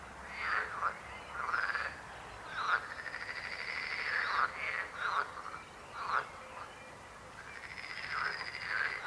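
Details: Frogs calling back and forth with short, knocking croaks and longer buzzing rattles, bursts spaced a second or two apart in a lively chorus.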